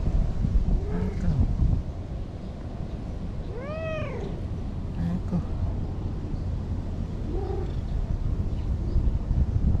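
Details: Anko, a brown-and-white stray cat by a lake in Japan, gives soft chirping trills and one clear arching meow midway, with quieter short mews later, over constant low outdoor rumble.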